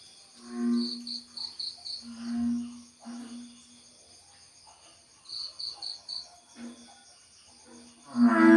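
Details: American bullfrog (Lithobates catesbeianus), breeding call: calling during spawning.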